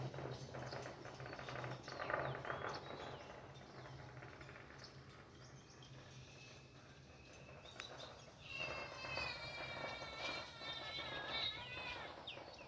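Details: Khao Manee mother cat, mother of four kittens, resting on a shady wall under a banana tree outdoors; after a muffled, noisy stretch, a run of drawn-out, harmonic meows comes in over the last four seconds.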